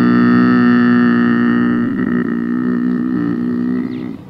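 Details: Lynx giving a long, drawn-out, low wailing note, steady and strongly harmonic, wavering slightly in the middle before fading at the end.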